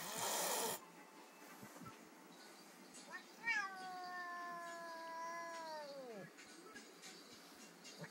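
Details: Rani, a one-year-old Bengal cat, is not enjoying the company of Raj, a 12-week-old Bengal kitten; a long drawn-out meow holds steady, then falls away at the end, after a brief loud noise at the start.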